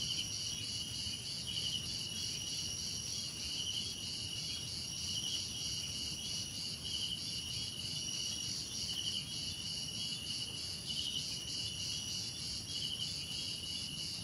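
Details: Layered cricket trilling, high and unbroken, several insects pulsing at once in a dense, even chorus over soft low background noise.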